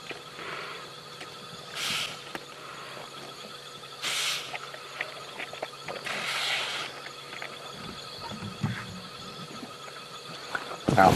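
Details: At night, a 12–14-year-old African buffalo, brought down and held by lionesses, gives hoarse, strained distress bellows in short bursts every two seconds or so, its breathing weakening and starting to gurgle.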